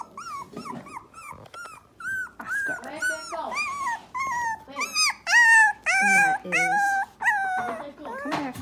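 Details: Dachshund puppies of Myrtle's O litter at three weeks old, crying while separated from their mother: clear, high whines that climb and bend, growing louder and more insistent toward the end, roughly two per second.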